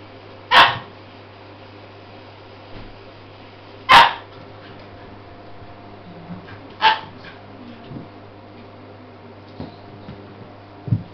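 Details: Puppy at play: three sharp, separate barks a few seconds apart, followed by fainter yips and small squeaks, over a steady low hum.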